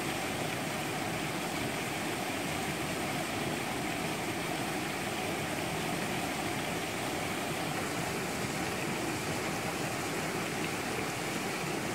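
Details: Constant droning engine or propeller-like noise fills the whole recording, with no animal calls.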